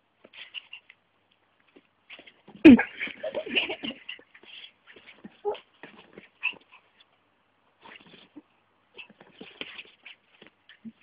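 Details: A micro Min Pin named Vixen plays with a hand at home, giving one loud, sharp yelp followed by a flurry of rapid huffs and snuffles, then scattered soft snorts and pants trailing off over several seconds.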